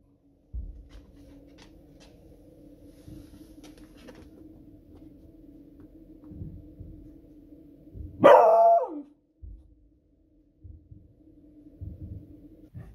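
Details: Female beagle dog raising the alarm at very noisy fireworks on a Friday evening: steady low rumbling and booms throughout, with one loud, abrupt bark partway through.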